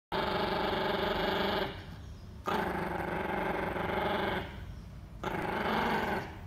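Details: White Chihuahua defending itself against intruding cockroaches near cockroach bait. It gives sustained, rough growls in three long bouts of about one and a half to two seconds each, separated by short quiet gaps.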